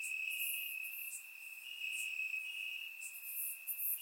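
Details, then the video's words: Summer-night crickets chirping in grass in Bulgaria, surround-microphone capture: one sustained high-pitched trill runs throughout with slight pulsing, joined by bursts of very high, hissy chirping near the start and end. "Crickets Chirping at Night"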